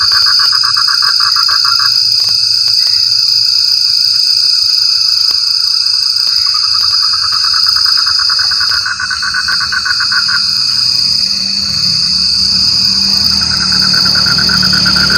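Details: Frog voice in rainy weather: short bursts of fast, rattling croaks come and go between quieter stretches, with a low rumble near the end. Insects keep up a continuous shrill whine in the background.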